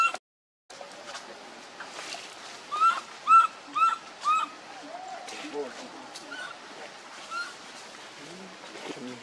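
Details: Baby monkey named Leo crying and begging its mother for milk: four clear, arched, whistle-like cries in quick succession, roughly two per second, followed by softer scattered calls over a steady background hiss.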